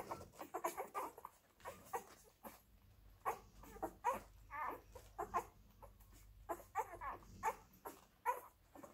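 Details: Suckling Labrador Retriever puppies from the F litter with their mother Molly. Clusters of high, short squeaks and whines are broken by brief quiet gaps, with several pups calling at once.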